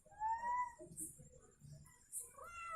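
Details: Ishu the house cat, newly a mother of a litter of kittens, utters a rising mewing call, then a second shorter meow about two seconds later, with quiet human talk and faint rustling in between.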